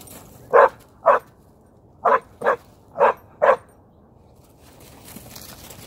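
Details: German Shorthaired Pointer at a dog park, barking in a series of six short sharp barks over about three seconds, spaced roughly half a second apart, then quiet background.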